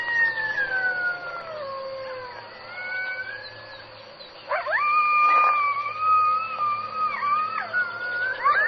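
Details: Coyote howling: long harmonic howls that glide downward, then a rising howl held steady with wavering breaks, over a constant background hiss.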